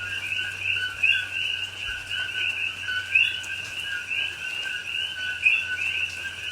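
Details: A dense night chorus of coqui frogs in a rainforest in Pahoa, Hawaii, in October 2021 during rain, high chirping two-note calls overlapping into a steady shrill din.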